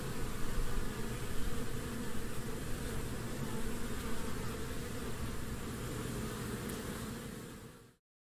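A European hornet gives a steady, deep, low-pitched buzz that rumbles on without pause.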